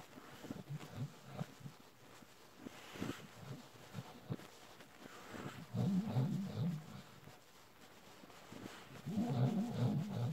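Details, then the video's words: Adult Bull Terrier suckling on a panda plush toy: soft, rapid, low sucking and smacking noises, about two or three a second, with deeper voiced, grunting moans swelling around six seconds and again near the end. "adult Bull Terrier suckling on Ikea panda plushy"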